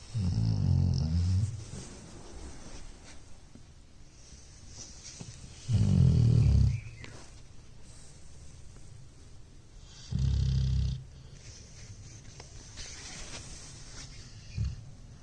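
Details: Sleeping Labrador Retriever puppy named Cherry snoring: loud, rough, low rumbling snores roughly every four to five seconds, each lasting about a second, with a faint hiss of quiet breathing in between.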